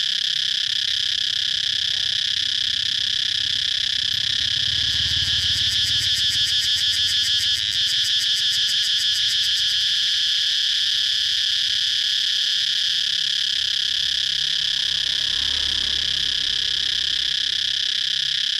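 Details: Continuous shrill cicada buzzing outdoors, loud and sustained, with a burst of quick rhythmic throbbing in the first half before returning to a smooth, steady drone.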